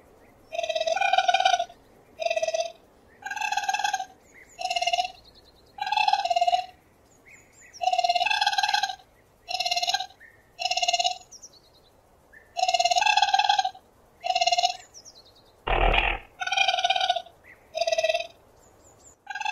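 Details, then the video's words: Cute raccoon producing a long series of rapid, bell-like buzzy trills, bursts mostly under a second with brief pauses. A single sharp knock sounds near the sixteenth second. No other animals are heard. "Gerçek Rakun Sesleri l Yüksek Kalite l Sevimli Rakun Sesi Deneyimi!"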